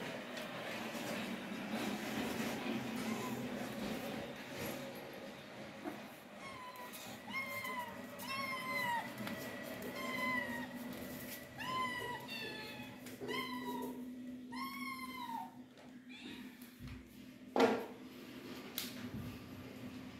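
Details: Cat mewing in a run of short, arched, high calls, several in quick succession from about seven to fifteen seconds, over a steady low hum and indoor background noise.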